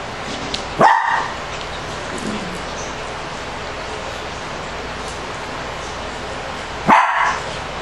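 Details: Shih Tzu dogs, five-week-old puppies playing with an adult male and a young female dog indoors; two short sharp barks, one near the start and one near the end, separated by quiet background hiss.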